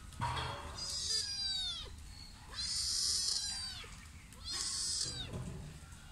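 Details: Sri Lankan domestic cats, a mother and her son: one gives three drawn-out, harmonic-rich meows, each rising then falling, about two seconds apart.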